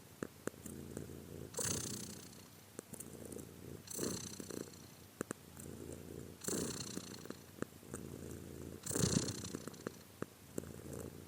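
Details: Soft, fairly quiet cat purr with a regular breathing rhythm, each breath about two to two and a half seconds apart bringing a hissing swell over the low, steady rumble; occasional faint clicks.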